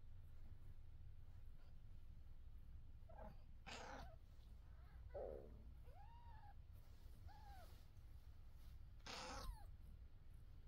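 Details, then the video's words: Mother cat among her kittens gives a few soft arched meows midway, between harsh noisy bursts, against a heavy low rumbling background. "Mom cat meows"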